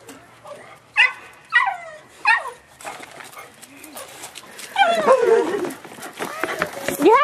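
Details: Nine-month-old Boxer puppy Walter, freshly released from his kennel and excited his owners are home, gives three sharp, falling yips about half a second apart, then a rush of higher yelps and squeals over human voices.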